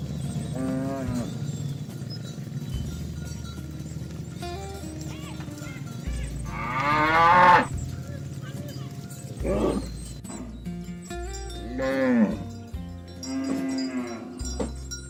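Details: Cows and oxen herded to the livestock barn, calling friends to the pen: scattered moos of varying pitch, a louder bellow near seven seconds and others around ten, twelve and fourteen seconds, over a soft tonal background.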